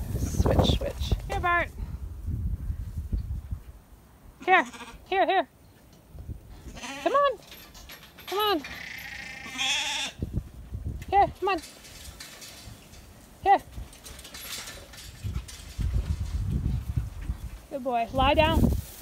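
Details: Sheep being sorted by a sheepdog, bleating in short wavering calls scattered through the stretch, with low rumbling handling noise between them.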